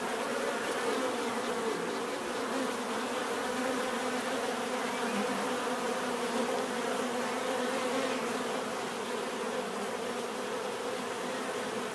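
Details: Continuous buzzing of numerous bees, a full even hum that swells and fades slightly as insects move, without pauses.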